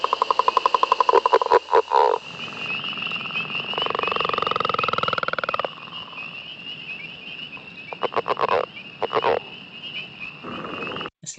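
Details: A Northern leopard frog in the Mont Saint-Hilaire Biosphere Region, a species that often sings underwater, gives a rattling, snore-like, lion-like call. Soft chuckling clucks like laughter follow, with spring peepers calling behind.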